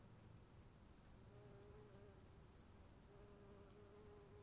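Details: Rain-soaked night of crickets: a continuous shrill trill and a faint higher whine run throughout, while intermittent low humming notes and steady rain noise fill the background.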